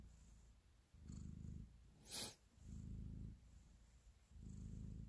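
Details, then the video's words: Kneading cat showing affection, its low vibrating purr surging in three loud swells between quieter rumbling, interrupted once by a short sharp hiss-like rustle. "Cat Purr, Kneading and Love"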